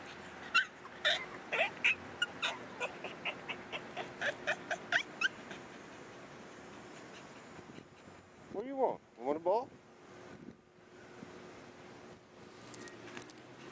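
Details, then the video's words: Female Boston Terrier named Missy vocalizing at home while wanting a ball: a quick run of about a dozen short, sharp yips over five seconds, then a pause and a drawn-out, wavering whine, with a woman's voice speaking softly. "Talking Boston Terrier, ''express yourself, little Boston Terrier ''"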